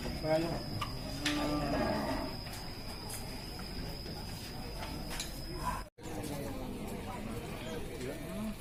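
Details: Cattle at the Ciwareng livestock market in Purwakarta: a deep, drawn-out moo rises and sags over about a second, then fainter lowing follows, under steady crowd chatter, a thin high electronic whine and a brief dropout near six seconds.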